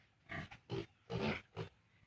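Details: Farm piglets 32 days old, not yet weaned from their sow, give four short, low, rough grunts in quick succession over about two seconds, each a brief burst with a faint background hum.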